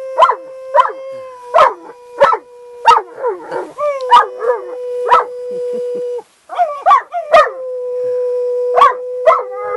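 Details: Irish Wolfhound Cleo joins her owner in howling near horses, July 2013; a long level howl with many quick wavering yips layered over it, a brief gap around six seconds, then the steady tone resumes.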